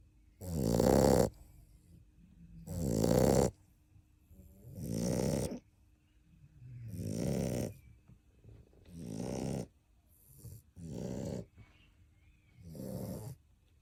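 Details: Napping 7½-week-old puppy, one of Kaia's litter, snoring surprisingly loud: a steady series of seven rasping snores roughly every two seconds, the first ones strongest and later ones gradually softer.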